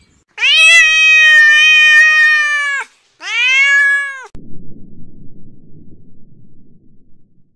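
A domestic cat gives two long, steady, rich meows, the first about two and a half seconds and the second shorter, followed by soft rustling.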